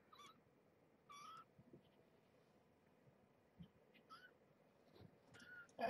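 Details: Kittens of Marge, a mother cat found as a pregnant stray and rescued through Purrfect Pals, indoors at morning feeding time; about five faint, thin, high mews with slight bends, spaced over a few seconds above a low steady hum.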